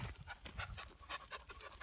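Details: Young goat raised indoors as a baby, now living in the barn, panting like a dog after learning it from dogs, excited to come inside; steady fast breathy huffs about four per second, soft and rhythmic throughout.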